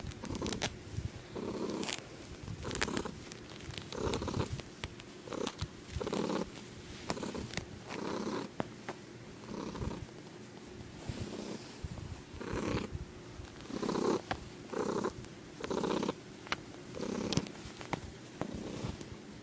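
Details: Pet tomcat indoors, purring oddly, captured with an iPod: pulsed low rumble rising and falling roughly once a second, overlaid by frequent sharp clicks and handling rustles.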